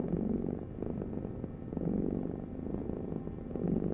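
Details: Steady purring from a cat, a rough low hum that surges roughly every one and a half to two seconds.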